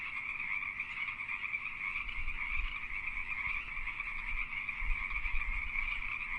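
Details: A dense chorus of Pacific tree frogs in mating season, their rapid two-part croaks blending into a steady, ringing wall of sound.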